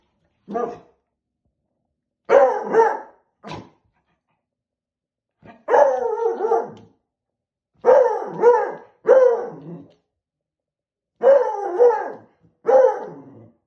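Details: A Beagle puppy barks at a balloon in loud, harsh bursts, often doubled, with short pauses between.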